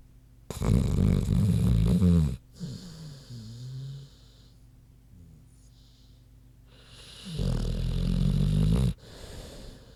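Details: Queenie the big pig asleep and snoring; two long, loud, low rattling snores about seven seconds apart, with quieter wheezy breathing between them.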